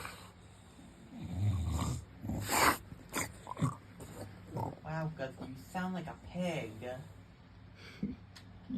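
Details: English Bulldog lying on his back, making funny pig-like noises: low snorting grunts and snuffles, with a woman's voice talking to him over the sounds.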